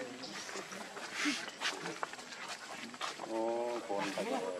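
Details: Baby monkey Luno calling to his father Tum to pick him up, with his sister Lucie coming to comfort him. Rustling and background chatter come first, then a clear tonal, wavering cry broken into a few short pulses.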